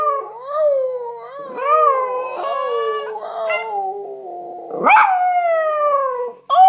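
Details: A Chihuahua mix joins its owner in a howl, with wavering, gently undulating tones that rise and dip. Brief rough patches appear midway, then a sudden sharp yelp leads into a clear, steadily falling howl.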